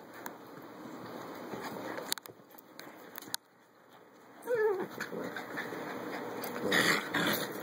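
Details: Adoptable puppies at play indoors: a short, high whining whimper slides downward in pitch near the middle, with scuffling and pattering of small paws, brief sharp thumps, and a person talking to them.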